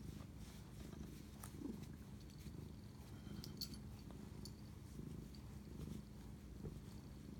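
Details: Domestic cat purring while bonding with its owner at 11:07 pm on March 25, 2019, indoors; a steady, low rumbling purr runs through the whole stretch with faint clicks and rustles above it.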